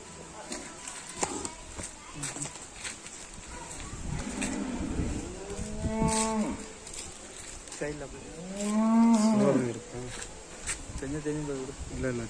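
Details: Kangayam bull offered for sale, lowing twice: long, deep moos whose harmonics arch upward then fall, around four to six and eight to ten seconds, with clicking background noise and faint speech.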